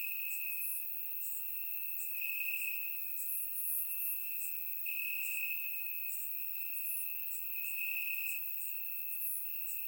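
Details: Steady high trill of crickets in grass on a warm summer night, Bulgaria, recorded with a surround microphone; the tone stays level with gentle swells, while brief sharp insect ticks sparkle higher up.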